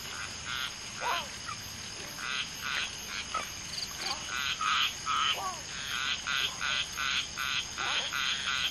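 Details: Chorus around a mating group of common tree frogs (Polypedates leucomystax), a female spawning with two males: quick pulsed croaks repeat unevenly, mixed with short bent chirps from other callers, over a steady bright hiss.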